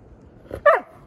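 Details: Female Siberian Husky outside in a backyard, answering her owner's teasing about playing with the cat: a soft short lead-in, then a single sharp yip-like bark that drops quickly away, in quiet surroundings.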